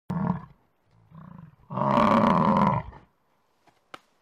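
A bison gives two short, low grunts, then a long, deep, rasping bellow.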